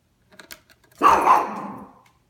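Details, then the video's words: Yorkie named Oliver barks at the vacuum: a few faint clicks, then one strong, rough bark lasting about a second that fades slowly. "Oliver the Yorkie Barking at the Vacuum"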